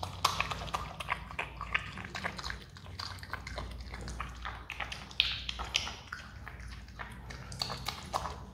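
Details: Adopted pet Himalayan marmot chewing watermelon, with quick crisp snaps and juicy crunches coming in rapid clusters and a few louder bites, while a faint low drone runs underneath.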